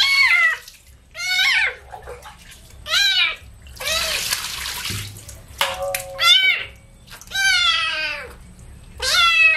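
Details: Kitten meowing repeatedly while washed with baby shampoo: about eight shrill, harmonic cries, each bending down at the end, with a burst of running water and splashing between calls.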